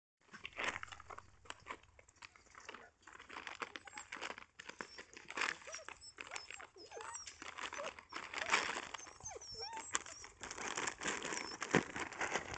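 Weimaraner puppies give soft, wavering whimpers and short squeaks over crinkling, rustling noises nearby.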